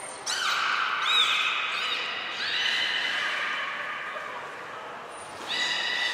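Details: Belugas at an aquarium in Nagoya during pool moving and training on 14 March 2021; long steady whistles with rich harmonics, some with upward sweeps, in several overlapping bursts, plus a short upward chirp.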